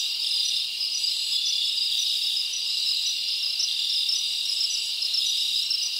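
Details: Summer-night forest crickets form a continuous bright, high chorus of overlapping trills, with faint pulsing chirps riding on a constant shimmer and no wind, voices or music.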